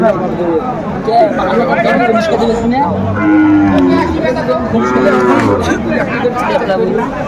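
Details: Sahiwal bulls at a cattle market where Dhaka farmers are buying, 26 December 2024; low, drawn-out moos with rising harmonics around the middle of the clip, half buried under loud crowd chatter and bargaining voices.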